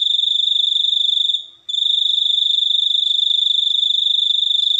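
A cricket trills steadily on a high, pure note, pausing once briefly before resuming.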